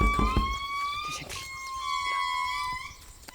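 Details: Sustained instrumental music with long, steady tones and soft knocks; no animal calls.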